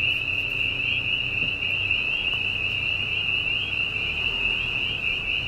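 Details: At night on a dairy farm in Silver Lake Township, Susquehanna County, Pennsylvania, a dense chorus of spring peepers blends into a steady, shrill, high ringing over the faint hum of a nearby gas drilling rig.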